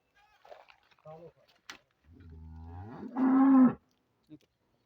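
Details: Friesian cow offered for sale in Pakistan giving a low moo that swells over about a second, then breaks into a louder, higher, strained bellow before stopping abruptly; a few faint clicks around it.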